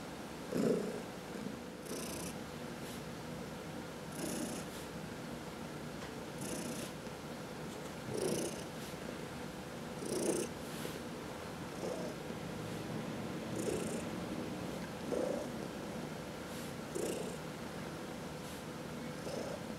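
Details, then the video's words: Pet cat purring while being massaged at home, from a household of four cats that includes senior rescues Heidi and Dinah; soft low purr under breathy hiss, with occasional louder pulses and faint brushing sounds every couple of seconds. "Four Purring Cats — Cat Massage"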